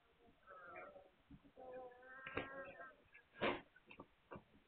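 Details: Several overlapping, slightly wavering whines from Hungarian Vizsla puppies, dated 9 March 2021, with a sharp squeak and scattered knocks and shuffling in between.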